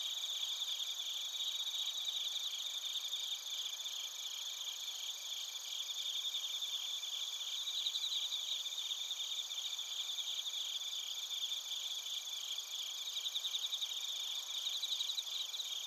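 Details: Crickets, including bell crickets, fill the night air in Narita, Chiba Prefecture, Japan, recorded on a TASCAM Portacapture X8: an unbroken, high-pitched chorus of many rapid pulsing trills layered together, steady in loudness throughout.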